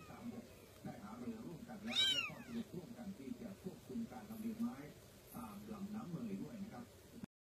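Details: A kitten gives one high, bright, arched meow about two seconds in, over low-pitched human speech and background chatter.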